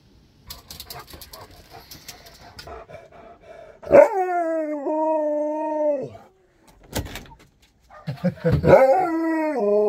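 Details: Husky, described as excited, gives a loud drawn-out moaning howl for about two seconds with a rich harmonic tone and a slight dip in pitch. After a pause, a second wavering, rising-and-falling call follows. Faint background noise comes before it.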